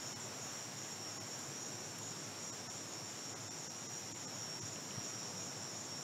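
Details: Cicadas outside a house in Mombasa, Kenya, sing together in a steady, high-pitched buzzing drone that holds without a break.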